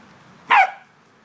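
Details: Corgi at play on an October day, one of Bernie, Basil and Byron, giving a single sharp bark with a short ringing tail, while a person urges the dogs to go get the squirrels.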